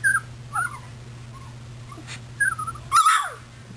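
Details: Puppies moving about, recorded 24 February 2010. Thin wavering whines rise and fall, a pause, then a louder cluster of squealing whimpers ending in a falling cry, over a low mechanical hum.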